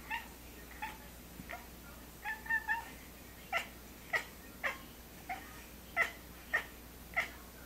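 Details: Short, clipped chirps from Pistol the cat, repeated roughly every half second, each a brief bright note with a lower echoing tone, over a low steady background hum.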